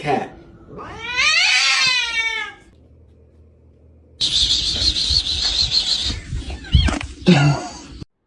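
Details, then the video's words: Domestic cat, one of a set of funny clips, gives a loud high-pitched meow that rises then falls over about a second and a half, followed by a stretch of rustling noise, thumps and voices. "Very Funny Cat Sounds & Behaviors"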